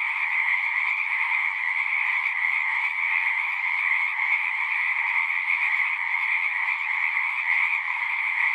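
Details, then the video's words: Many frogs singing at a pond in a horse pasture, recorded with a Zoom 6: a dense, unbroken trilling chorus with two steady pitch bands, one middle and one higher, holding level throughout with no other clear sounds. "Frogs singing"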